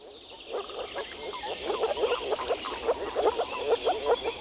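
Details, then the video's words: Many frogs calling together in spring at a Czech wetland, a low, nasal, quacking chorus of short croaks repeated roughly twice a second, with higher chatter behind. "European frog calls"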